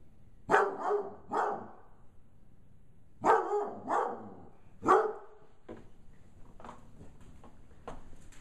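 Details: Bloodhound pup of five months, scared by a gorilla puppet inside a small room, lets out loud barks in two bursts of three, then falls to a few faint, short sounds near the end.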